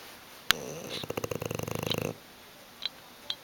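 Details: Sleeping on the sofa, Hugo the bulldog lets out one fluttering, pulsed snore lasting about a second, preceded by a sharp click and followed by faint small ticks.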